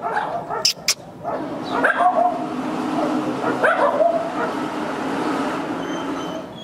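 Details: Afghan Hound, Sheeno among the pack, just before leaving for a dog show: short high yips and whining barks break out around two and four seconds, over steady outdoor background hum and a man's voice calling her a good girl.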